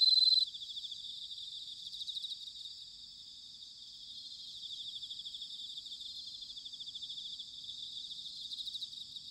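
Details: Autumn night chorus of bell crickets recorded in Sanuki, Chiba, Japan: a brief loud ringing trill opens, then a softer, continuous high-pitched chorus of many crickets, pulsing steadily throughout.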